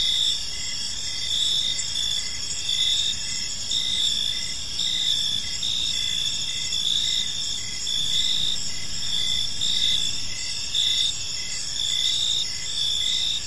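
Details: A chorus of crickets in a tranquil evening park, many insects trilling high and steady with pulsed chirps coming about once a second, and a light low-frequency hum underneath.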